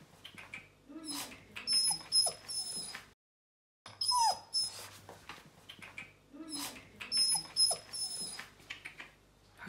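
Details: Bernese Mountain Dog puppy exploring a new home on its first day there, giving occasional thin whines and squeaks amid rustling and shuffling, with one clear falling whimper after a short silent break and a constant high tone.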